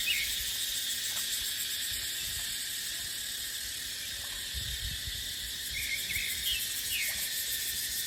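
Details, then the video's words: Dry-season cicada chorus in dry dipterocarp forest with wind: an unbroken, high, shimmering drone with a pulsing texture, occasional short chirps from a small bird near the end, and a gentle low rumble of breeze underneath. "เสียงจั๊กจั่น สายลม ในป่าเต็งรังยามหน้าแล้ง"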